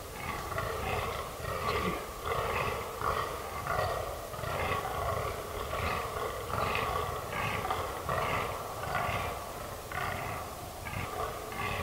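Fallow deer giving deep, rough, belching grunts in a steady series, a bit more than one per second, with a low rumble of background noise.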